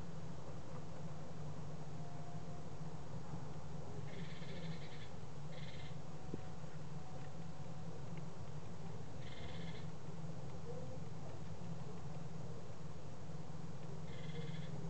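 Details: Evening feeding of an adult male serotine bat taken in by the local SPCA after being found exhausted on a barbed wire fence; a handful of short rasping squeaks in irregular bursts, steady low hum throughout.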